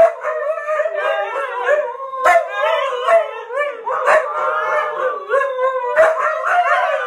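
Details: Several huskies howling as a pack, their voices layered in long, quavering tones that rise and fall against each other, with brief sharp yelps cutting in at intervals.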